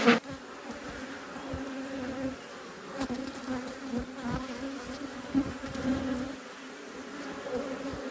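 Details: Honey bees at a beekeeper's apiary heard as a quieter, distant steady hum with faint harmonics, a thump at the start.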